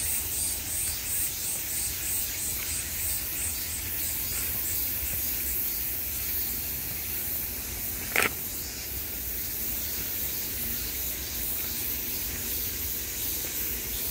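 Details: Summer cicada chorus: a dense, shrill buzz that pulses rapidly at first, then settles into a continuous hiss. A single sharp click cuts through just past eight seconds.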